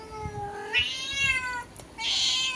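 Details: Angry indoor cat exchanging calls through a window with a black cat waiting outside: a steady tonal meow that rises into a strained, whining wail, followed by a harsh, breathy hissing burst. Light background thumps.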